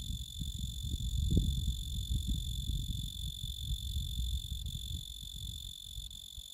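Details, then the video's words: Male tree cricket (genus Oecanthus) singing: a steady, high, pure-toned continuous trill with faint overtones runs through the whole recording, partly masked by loud low rumbling and thumping noise. "Tree Cricket"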